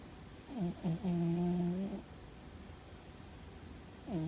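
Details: A dreaming pet cat named Fuzzy snores hard: a stuttering low intake breaks into one long, steady, rumbling drone lasting about a second, then a lull before the next snore begins, indoors and otherwise quiet.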